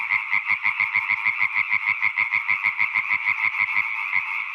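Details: Fast, loud male European tree frog song, the costly low-pitched kind females choose; a steady run of about twenty-five harsh croaks in under five seconds, evenly spaced and strong.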